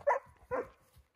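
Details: Irish Wolfhound Nell, a four-and-a-half-year-old female back with her breeder, meeting her brother and sister in a home pack of eleven and telling off a male named Bigfoot: two short, loud barks about half a second apart, then quiet.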